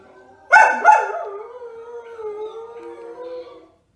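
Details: Samoyed dog lets out a sharp double bark that flows straight into a sustained, steady howl that slowly fades out.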